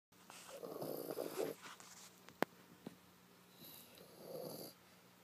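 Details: French Bulldog asleep in its owner's lap, snoring: two rough, breathy rasping snores about three seconds apart, with a sharp click between them.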